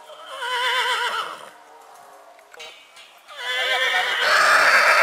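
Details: Purebred horse neighing in spring: two loud whinnies with wavering, quavering harmonics, the first fading after about a second and a half, the second rising strongly near the end after a quiet gap.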